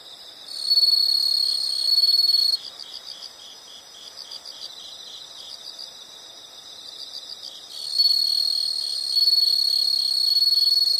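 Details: Insect chorus offered as a calming nature sound: a shrill continuous trill swells for about two seconds, drops to a quieter rapid pulsed chirping, then the loud trill returns.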